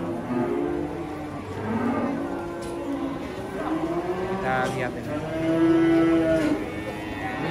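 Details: Young calves, a male and a female, just arrived at a market in Indonesia and greeted by traders: long, steady, low moos that swell and fade in turn, with faint talk and music behind.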